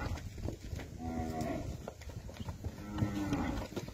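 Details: Nelore and Nelore-cross heifers, 18 to 20 months old, from the Fernandópolis region of São Paulo state, Brazil. Two low, drawn-out harmonic moos, one just after the first second and another near the third, over a steady low rumble.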